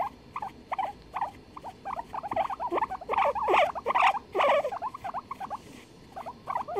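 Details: Duet of two guinea pigs on 23 February 2021: scattered squeaky chirps swell into a louder, denser cluster around the middle, then thin out again, with soft steady hiss underneath.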